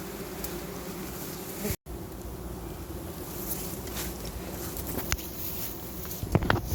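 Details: Giant honey bees at a large nest being harvested by honey hunters: a steady, low droning hum with layered tones persists throughout, over broadband rushing noise, with a brief cut and a few sharp clicks near the end.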